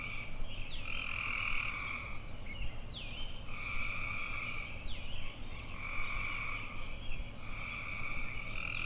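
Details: Tree frogs trill in a buzzy, even tone. Each trill lasts about a second and is spaced by brief pauses, with a few short higher notes between them over a constant low hum.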